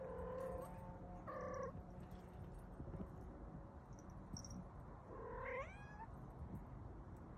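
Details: Star, a pet cat, making a series of three meows: two clear mid-pitched calls close together near the start, then a longer rising-and-falling meow after a pause, over a low household hum.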